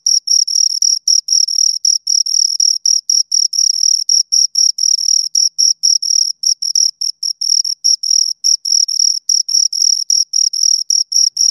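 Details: Steady chirping from two crickets, brief high-pitched pulses packed at roughly four per second with slight irregular gaps, clean and close with no other sounds.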